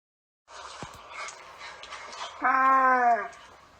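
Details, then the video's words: Camel giving a noisy, breathy rumble that swells into a loud, harmonic, moaning groan lasting under a second. "Camel Sound Effects - Camel Sounds and Noises"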